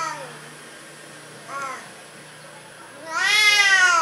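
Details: Cowardly orange house cat mewing: a faint short meow at the start, a brief chirp-like mew midway, then a loud, long, rich meow to close.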